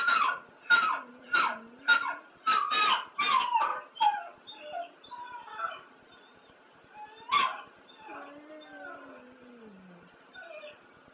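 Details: Pet dog named Spliff singing along to ELO's Telephone Line: a run of quick yelping yips about twice a second, then softer wavering whines and a low sliding moan trailing off near the end.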